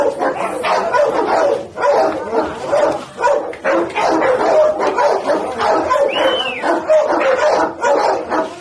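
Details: Fierce white pit bull barking over and over in quick, rough bursts, with a brief sliding whistle-like sound in the background midway through.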